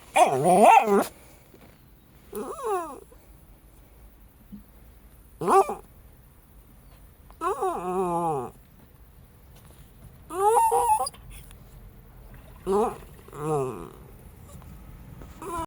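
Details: Jack Russell Terriers Treisy and Azzuro whine and yowl in separate wavering bursts, each rising and falling in pitch. The bursts come every one to three seconds with quiet gaps between, and one harsher bark-like burst opens the sequence.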